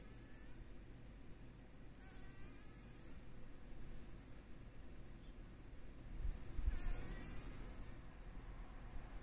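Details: Fly trapped in a spider's web in the corner of a workshop, fighting to escape in the morning: two brief bouts of raspy wing buzzing several seconds apart, with a low rumbling background between them.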